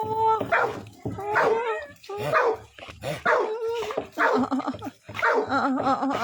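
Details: An American Pit Bull Terrier named Cake lets out repeated harmonic, whining barks about once a second, each bark carrying a wavering tonal edge, steady and insistent throughout.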